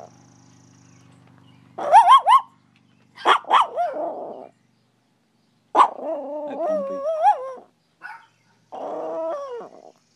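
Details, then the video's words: Dog named Yib, indoors, giving a few sharp barks, then breaking into drawn-out, wavering howls that rise and fall, with short pauses between bursts. "YIB HOWL"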